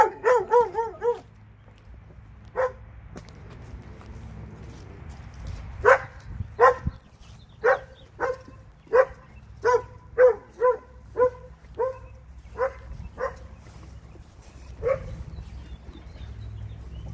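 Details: Barking from two dogs in Alabama: a brief whining, wavering yelp opens, then a loose run of quick, clipped barks comes in bursts, sometimes doubled, with short pauses between, over a low steady hum.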